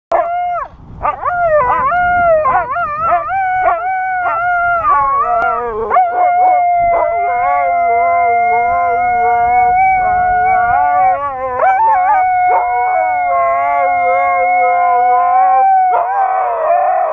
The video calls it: Delta the Singing Husky - Singing for some sunshine ;;;